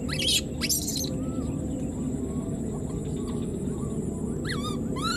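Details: Abandoned wild newborn monkey calling for its mother: two short, arched, tonal cries close the passage, following earlier harsh sweeping sounds, with a persistent low rumble and high steady whine throughout.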